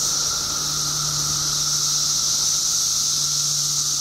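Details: Billions of periodical cicadas emerging in Illinois after 17 years underground fill the air with a continuous shrill, hissing chorus over a steady lower drone, joined by a low mechanical hum.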